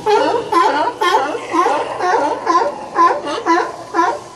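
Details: Sea lions at Old Fisherman's Wharf, Monterey, California, fighting for spots: loud harmonic barks repeated about twice a second in a rough, rhythmic series, several overlapping voices.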